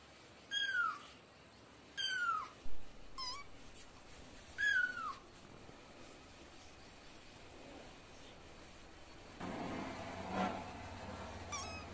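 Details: Cat and kitten voices: a quick run of four high, downward-sliding meows in the first five seconds, followed by a low rumbling background noise with a few faint calls.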